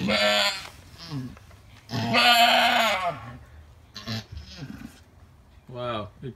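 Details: Alpine goat giving birth to triplet kids: one loud, wavering bleat in the middle, with people talking quietly before and after it.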